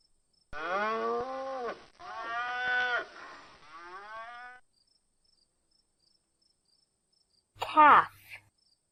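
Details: Domestic cow mooing: three long, low, harmonic-rich moos, the first drawn out and the last trailing off, followed after a pause by a short burst of a higher voice.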